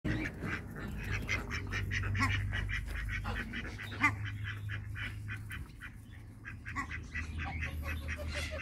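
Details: Ducks in a backyard farm, a pair of mallards meeting two male and one female hybrid runner ducks; dense, irregular bursts of short nasal quacks overlap almost continuously, with a steady low hum beneath.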